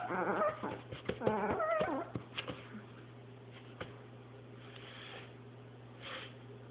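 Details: A Chihuahua playing with a paper towel roll gives a burst of high, wavering whimpers and short yips in the first two seconds, then a few isolated yelps over a quiet, humming background.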